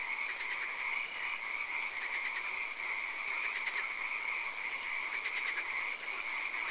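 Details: Swamp frogs at night, rain occasional, calling together in a thick chorus: rapid repeated pulses and short trills stacked in bands, with bursts near three and five seconds, over constant background hiss and a high steady tone.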